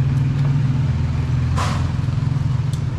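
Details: Steady low engine rumble from a passing vehicle, with a brief rustling burst midway and no animal voices.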